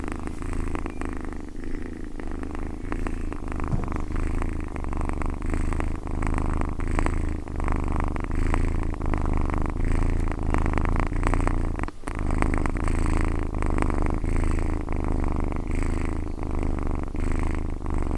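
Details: Cat purring: a continuous, deep, rumbling purr with a steady pulsing texture, close and loud throughout, with one brief break.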